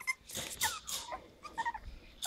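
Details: Five-week-old Havanese puppies from a litter of seven, three females and four males, born to Max and Cookie, indoors: thin high squeaks and whimpers, wavering and sliding, in short bursts across two seconds amid rustling and handling noise.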